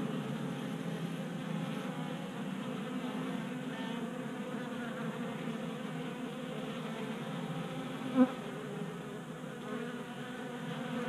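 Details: Honey bees feeding at a table-top 3D printed feeder in a garage in Colorado on a warm 60-degree January day, active and burning winter fat stores; a steady, low droning hum of many wings, with one brief click near the end.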